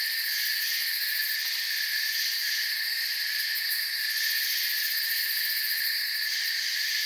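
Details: Crickets in a forest, a dense, unbroken chorus of high shrill trilling from many insects, several pitch layers holding steady throughout with no pauses and no other clear sounds.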